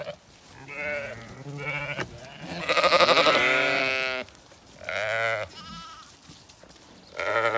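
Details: Zwartbles sheep flock on a regenerative farm in County Kilkenny, Ireland, demanding food and following the farmer with an empty bucket just after she fed the rams; several overlapping harmonic bleats, one long loud wavering bleat in the middle, others shorter and lower.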